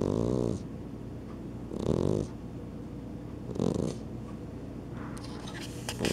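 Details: Sleeping pet cats, an Exotic Shorthair and a Persian, snore indoors; three drawn-out raspy breaths about two seconds apart, followed by a few faint clicks and rustles near the end.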